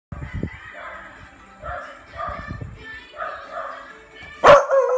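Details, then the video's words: A Beagle puppy barks fiercely back at a neighbour's barking dogs: drawn-out, harmonic howling barks come in repeated bursts, closing with one sudden loud sharp bark. "Barking and Howling Beagle-Fierce puppy barking the barking dogs of neighbor"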